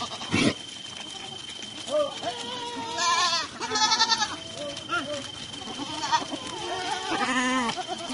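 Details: Male and female Sojat Sirohi goats (Capra hircus) at Pune bleat in wavering, nasal cries, several overlapping, over a steady high whine.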